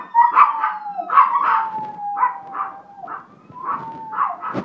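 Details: A household dog reacts to a passing fire truck siren with about one howled yelp per second. The cries rise and fall over a continuous, level siren tone.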